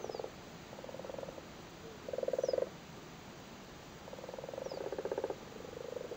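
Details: Frogs in Cork, Ireland, spawning in a flooded cattle grid and sitting on their spawn: soft purring, pulsed croaks in short bursts of about half a second to a second, separated by pauses, with several animals overlapping.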